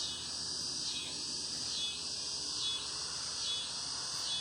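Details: High, shimmering cicada chirping with regular swelling pulses almost once per second, a dense insect buzz with little else audible.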